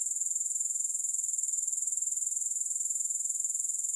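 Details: Unbroken high-pitched grasshopper trill with an even, rhythmic pulse of about two beats per second, holding at a constant level throughout. No other sounds.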